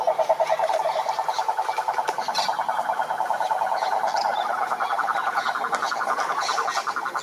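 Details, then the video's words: Several toads calling together, loud rapid trills overlapping, one lower and one slightly higher, the pulses running unbroken through the whole clip. "Som do Sapo Coaxando"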